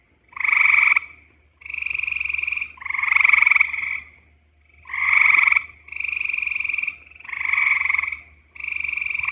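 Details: A gray tree frog (Hyla versicolor) calls with bursts of musical, rapidly pulsed trilling, each about a second long, repeated with brief pauses: the mating call males use to draw in females.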